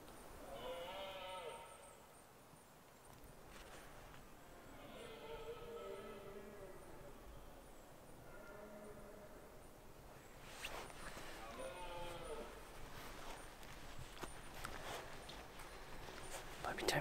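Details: Red deer during the autumn rut in Scotland's Highlands: a stag's harsh, moaning roars repeated every few seconds, four drawn-out bellows over a breezy background with scattered clicks and knocks.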